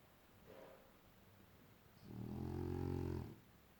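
A French Bulldog snoring: a faint intake of breath, then a deep, buzzing, rattling snore lasting over a second. The sound is low and throaty, typical of a flat-faced breed breathing in sleep.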